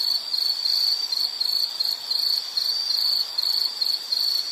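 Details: A high insect trill from a relaxing nature recording, buzzing in rapid pulses grouped into bursts of roughly a third of a second, steady throughout with soft background hiss.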